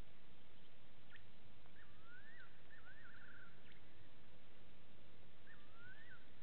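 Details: Wild side-striped jackal heard at night, 02:27, 15 September 2018, from a live waterhole camera at Gowrie dam, Djuma Game Reserve, South Africa; upswept wailing notes with quavering tails, a cluster early and another near the end, over constant hiss.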